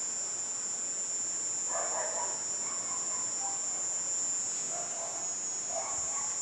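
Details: Cicada singing in a garden at nightfall amid night sounds: a steady, high-pitched continuous buzzing drone runs unbroken throughout, with soft scattered mid-pitched chirps and rustles beneath it.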